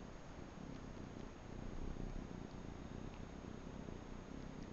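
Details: Low, steady rumbling purr from a Manx kitten suckling on a bathrug in a small indoor room, swelling slightly midway with no other clear sounds.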